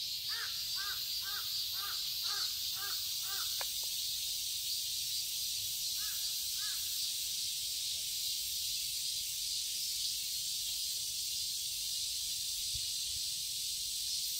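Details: Cicadas in a summer garden in Seoul, Korea: a dense, steady, hissing drone high in pitch fills the whole recording, while a series of harsh, cawing bird calls repeats quickly during the first few seconds and returns briefly later.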